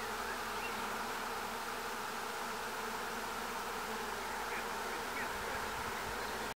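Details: A tree crowded with over 15,000 bees gives an unbroken, even buzzing drone from start to finish.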